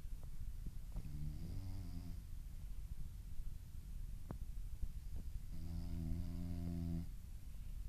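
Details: French Bulldog asleep and dreaming, snoring in two drawn-out harmonic rasps, the first near one second in and the second after a short quiet gap, low and droning over a soft indoor background.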